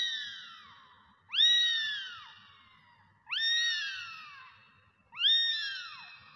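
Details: Domestic kittens meowing: three high, arching mews spaced about two seconds apart, each rising sharply then sliding down with a bright harmonic stack, separated by quiet gaps.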